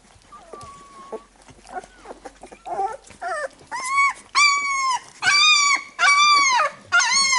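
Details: Labrador Retriever pups after nursing, mother cleaning them. Quiet snuffles and faint squeaks give way to a run of loud, clear, arched whines, each about half a second long, repeated roughly once a second.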